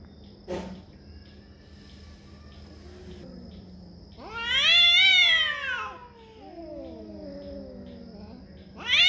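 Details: Domestic cat fighting over territory, a sharp yowl burst near the start, then a loud rising-falling screech around five seconds trailing into wavering moans, another screech beginning at the end.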